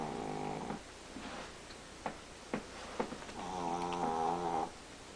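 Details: Chihuahua snoring during a morning nap indoors, staying asleep; soft wheezy harmonic snores, one long breath near the start and another longer one later, with a few faint clicks between.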